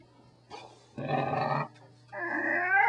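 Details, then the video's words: Corgi dog vocalizing in drawn-out, tonal grumbles and whines: a short moan, then a sustained buzzy growl, a pause, and a longer rising whine-like talk sound, over a faint steady hum. "How to Talk Like a Corgi"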